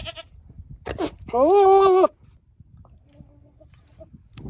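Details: A buck Nigerian Dwarf goat courting female goats gives one strong, steady nasal bleat under a second long, preceded by a couple of snorting puffs, then quiet.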